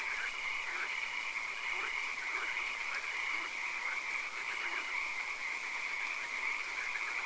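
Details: Swamp frogs at night in occasional rain: a continuous high-pitched ringing chorus with scattered short pulsed bursts and a few lower, soft croaks, set in steady hissing background noise.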